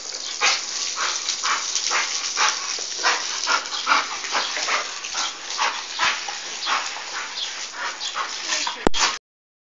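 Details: English Bull Terrier gives a run of short, harsh yips and barks with whimpering between them; owner remarks the dog is choking.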